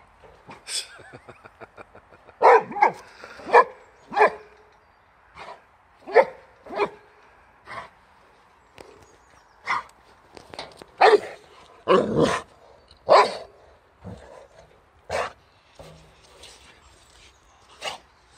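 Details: Big adult Boxer and a Boxer puppy with kennel cough confronting a wheelbarrow: a run of short, sharp barks in irregular bursts, some doubled or clustered, with quicker yips early on, continuing for about eighteen seconds.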